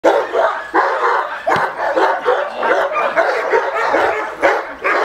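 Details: Male Cane Corso during attack training, giving loud, harsh barks in quick succession, several heavy bursts running almost together, with a sharp onset every second or so and no quiet gaps between them.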